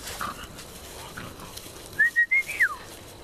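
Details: Puppy of the American Bulldog breed giving a single short, high whine broken into four rapid pulses that rise slightly and then drop, against faint background hiss.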